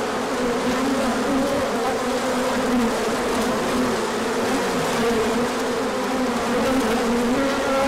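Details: Many bees take a large orientation flight in the sunshine after cold days, March 2024, with pollen arriving afterward. The buzz is constant and dense, and single passing bees bend its pitch up and down.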